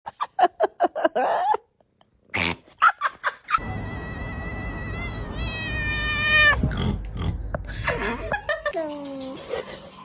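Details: Domestic cat making funny sounds: after a run of short thumps and bursts, a long drawn-out whining yowl rises and wavers for about three seconds, followed by a shorter falling cry.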